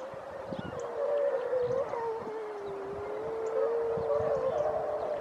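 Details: Grey seals early in the pupping and mating season at Donna Nook, Lincolnshire, on 5 November 2018; a long, drawn-out moaning wail holds steady and wavers slightly over several seconds, with low rumbling background noise.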